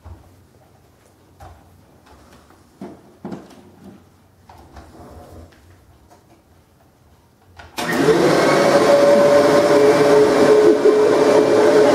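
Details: Quiet indoor room with faint knocks and rustles for about eight seconds, then a vacuum cleaner switches on and drones loudly and steadily to the end.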